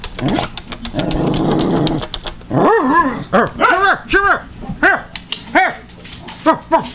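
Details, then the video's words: Pet Cairn Terrier going after feeding seagulls and crows, a window between them; a low growling rumble first, then a fast series of loud, sharp barks, roughly ten in four seconds. "Seagulls & Crows VS Cairn Terrier, The Dog Hates Birds"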